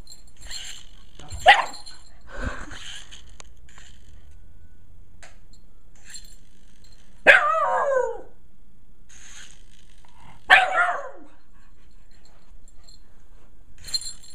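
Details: Kiba the Shiba Inu, playing with a remote control helicopter, barks several times in a loose, irregular series. The louder barks fall near the middle and end, over a steady high-pitched motor hum.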